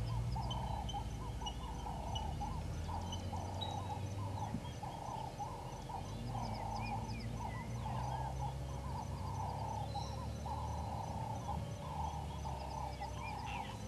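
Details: African wild dogs at Gowrie dam waterhole, Djuma Game Reserve, Sabi Sand, South Africa, at 07:23 on 22 April 2020, give a steady run of soft, chirping, bird-like calls over a low rumble.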